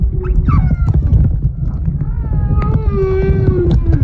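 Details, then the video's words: Humpback whale snoring off Moorea in September 2023: a deep, continuous low rumble with overlaid tonal moans, a falling whine early on and a long steady hum later, plus clicks. "Snoring Humpback Whale in Moorea Sep 2023"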